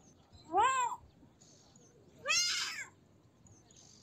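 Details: Two kitten meows: the first a clear, tonal arch, the second louder and harsher with a rougher, noisier texture, then silence.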